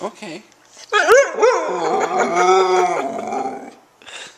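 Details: Young Husky reacting to a repeated "beep" noise with a grumbling, talkative howl that rises, wobbles and trails off. Human speech is heard faintly at the start and end.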